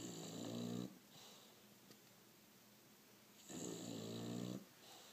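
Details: A sleeping bulldog, lazing indoors, snores in two long rasping breaths about three seconds apart, each a rough harmonic-rich rumble lasting about a second, with quiet room hiss between them.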